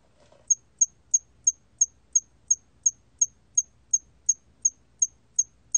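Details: Steady chirping of a hairy cricket: crisp, very high single pulses repeated about three times a second after a brief soft sound at the start, against near silence.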